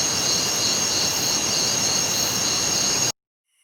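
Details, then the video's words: Crickets at night: a continuous high, shrill trilling with a steady pulsing tone over broad hiss, running unbroken for three seconds before cutting abruptly to silence. "Night Crickets sound effect"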